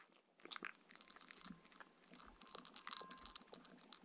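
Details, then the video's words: Mindy, a Shetland Sheepdog, eats her evening dinner of raw kangaroo food with coconut oil: quick wet clicks and crunchy bites in uneven bursts, with faint bright clinks overhead. "Dog eating sounds"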